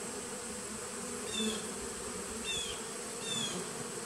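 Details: Honey bees in a nucleus colony, recorded 19 September 2018: a steady dense buzzing hum with bands near 200 and 500, broken by three short bright rising chirps at about one-second intervals.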